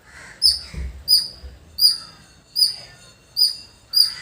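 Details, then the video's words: Squirrel in a village calling with clear, high, sharp chirps, six in quick succession about 0.7 seconds apart, with a faint low thud early on. "Beautiful Squirrel Making Sound"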